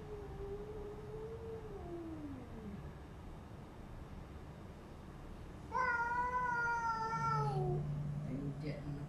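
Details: Domestic cats fighting in a new house after a white cat arrives: a low falling moan first, then a loud strained yowl holding steady for about two seconds before dropping, with a human voice audible.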